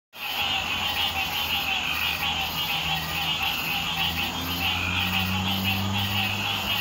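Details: Green tree frogs call together in a dense, continuous chorus of nasal, bell-like quonks on Hilton Head Island in June.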